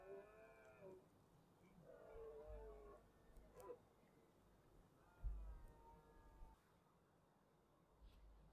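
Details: Red deer stags roaring during the autumn rut in the Cantabrian Mountains, 2023: three separate drawn-out harmonic bellows, each falling slightly at the end and spaced a second or two apart, heard faint and distant over a low background rumble.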